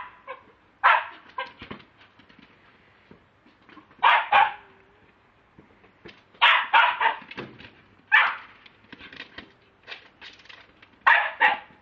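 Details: Lakeland Terrier barking, filmed on a mobile phone; loud clipped barks arrive in clusters separated by quieter stretches with faint rustling.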